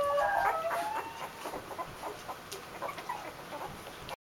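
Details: A litter of two-week-old Basenji puppies, recorded on 20 January 2015, gives high, thin, wavering whines and squeaks, loudest at the start.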